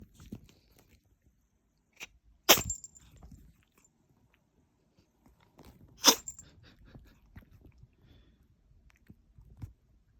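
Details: Munchkin kitten sneezing repeatedly: two sharp, explosive broadband sneezes about three and a half seconds apart, with faint rustling between them in an otherwise quiet room.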